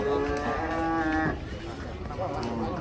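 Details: Sacrificial (qurban) cattle in Indonesia, 2023, being unloaded and jumping down from a truck: one drawn-out, harmonic moo lasting just over a second, followed by a steady noisy background.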